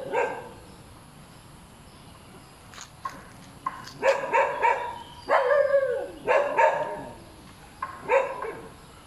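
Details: Very noisy dog that won't stop barking: scattered yips building into dense volleys of loud, rough barks, some drawn out and whining, through the middle and end.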